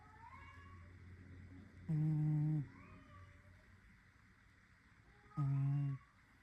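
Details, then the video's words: Sleeping, dreaming cat named Snowy snoring: two loud, buzzy, humming snores about three and a half seconds apart, each lasting under a second, with a faint low rumble of breathing between them. "Snoring cat"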